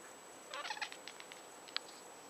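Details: Pet cat indoors by a patio screen door, making strange chattering noises on seeing a fly or insect; a quick burst of short, clipped, stuttering chirps lasting about half a second, then a single sharp click, against a steady faint hum.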